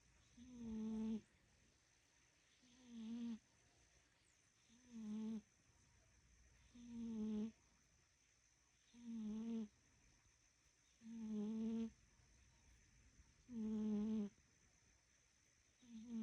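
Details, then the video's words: A fat domestic cat snoring at nap time: steady, low, buzzy snores about every two seconds, eight in all, each a short rasping breath with a wavering tone, with a faint steady high whine in the background. "Fat Kitty Nap Time Snoring"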